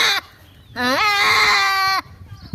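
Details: One long, strained goat bleat lasting over a second. The pitch climbs at the onset and then holds steady, with a shaky tremolo, after a brief call at the very start.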